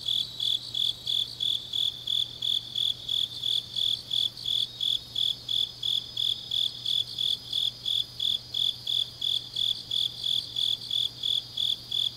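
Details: Grass insects on a deep autumn night in Changnyeong, South Gyeongsang, Korea, trilling in even high-pitched pulses close to three per second, layered over a dense shimmering chorus of other insects and a faint steady low hum.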